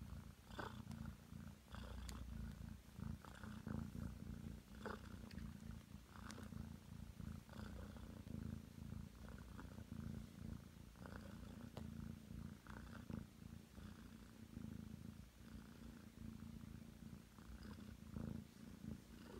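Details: Long, contented purring from a nine-month-old Ragdoll cat named Aki, kneading affectionately on a bed. The rumble stays low and constant, broken only by small clicks and rustles of movement.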